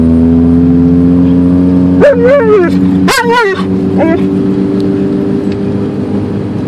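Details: Alaskan Malamute riding in a car on a drive to the dog park, giving a few wavering, whiny howl-like vocalizations over a steady engine hum and road rumble.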